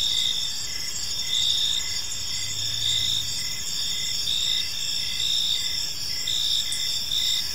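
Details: Crickets in a park at evening, a shrill sustained chorus with pulsed chirps recurring about every second and a faint low hum in the background.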